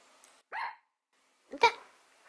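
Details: Five-month-old toy poodle puppies during home training against play biting; two short, high yelping barks about a second apart, the second sharper and louder, with quiet between.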